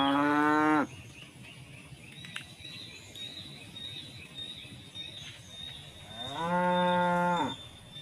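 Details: Tame cattle calling to one another while feeding on rice straw in harvested village rice fields; a moo ends at the start, and a long, level, strongly harmonic moo follows about five seconds later, over a steady high whine.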